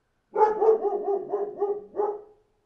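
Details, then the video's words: Dog outdoors producing a continuous wavering string of rapid tonal bark pulses lasting about two seconds, rising and dipping in a yodel-like pattern, ending in a slightly louder final note, background silent. "1 HOUR Dog Barking Outside"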